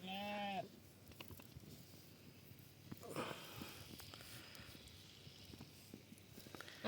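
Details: Sheep with swollen eyes that leave it unable to see, during treatment: one short wavering bleat with a quivering tremor lasting about half a second, followed by quiet rustling, handling noises and faint voices.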